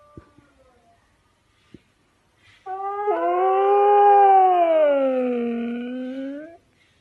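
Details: Pet Siberian Husky howling after a few faint clicks: one smooth, loud howl lasting about four seconds that rises slightly, then sinks in a gentle curve before stopping abruptly, with strong harmonics and a quiet background.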